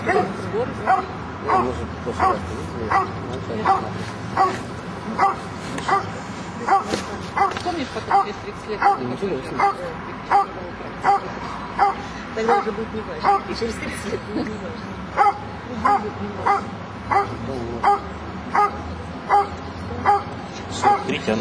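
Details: A Dobermann barks steadily at an IPO-1 working-dog trial in 2008, sharp loud barks coming a little under once a second, with people talking.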